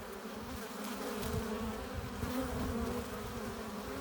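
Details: Honey bees at a hive entrance, flying in with pollen and nectar: a dense, steady low buzz with overlapping hums from many wings, and brief louder swells as single bees pass close.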